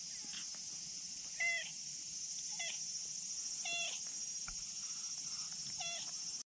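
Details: Tabby-and-white stray cat asking for petting outdoors; several soft, brief mews with curved harmonics, irregularly spaced, partly masked by a loud steady high hiss of insects.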